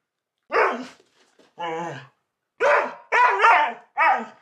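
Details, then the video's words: A Siberian Husky talking back to its owner in a series of five drawn-out, wavering, yowling vocal phrases. The phrases rise and fall in pitch and are separated by short pauses. The room is otherwise quiet. "I have full-blown conversations with my husky! (He talks back!)"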